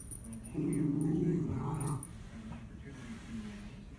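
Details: A female Mini Schnauzer plays with her stuffed Kong, flinging it to dislodge a treat; a sustained low, gravelly growl of about one and a half seconds, then quieter huffs and movement noise.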